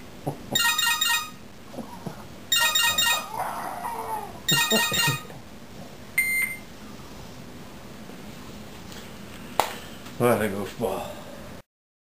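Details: Vegas, a French Bulldog indoors, reacts to cell phone ringtones: three bursts of a repeated electronic ringtone, each followed by soft whimpering, then a short chime and a longer whining, wavering vocalization near the end.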